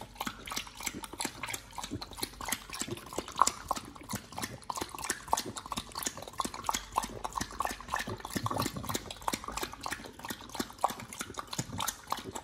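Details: Raw-fed Pit Bull nomyen gnawing raw sole, pomfret, mackerel and duck feet; a long run of sharp snapping crunches and moist squelches, closely packed and irregular, with a few louder cracks standing out.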